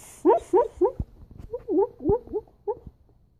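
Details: Rocky the dog barking in his dreams: a run of about eight soft, muffled, stifled woofs, quick and uneven, spread over three seconds, fading toward the end in a quiet indoor room.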